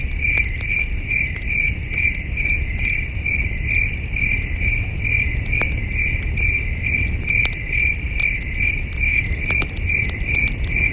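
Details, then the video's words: Crickets chirping at night beside a campfire at a starry wilderness campsite; a high, steady chirp pulses about two to three times a second, with sharp crackles and pops from the fire and a low breezy rumble underneath. "Soothing Cricket Sounds"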